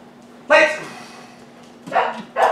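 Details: Dog in a service dog training session giving three short, sharp barks: one near the start and a quick pair close together at the end. A steady low hum runs underneath.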